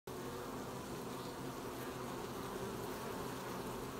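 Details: Honey bees collecting honey at an apiary on 20 July 2020: a steady, dense hum of many bees, a low droning buzz holding evenly throughout with a soft broadband hiss above it.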